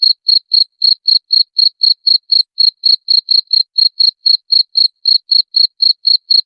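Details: A cricket's shrill repeated chirp, its sound said to drive away rats, runs without a break in crisp, uniform pulses at about four per second. The background is silent.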